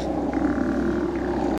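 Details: Steller sea lion colony with large males on Mitlenatch Island, October 8th 2012, one animal scratching on a rock; a steady, deep, rumbling roar runs unbroken throughout.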